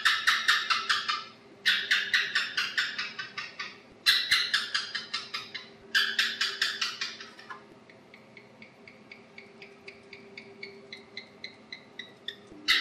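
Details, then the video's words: Clicking chirp series from an Asian house gecko, a night hunter found on house walls: four loud rattling bursts that trail off, then a long run of much softer, evenly spaced ticks, with one last sharp burst at the end. "Tiếng Kêu Con Thạch Sùng - Aisan House Gecko Sound Effect"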